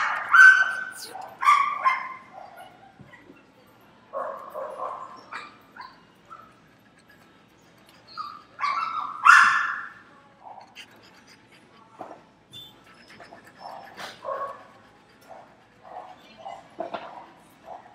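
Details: Many domestic dogs barking inside a pet store while a French Bulldog listens and reacts; scattered sharp barks and yips from several dogs in bursts, loudest near the start and around nine seconds, with quieter barks between and faint store background.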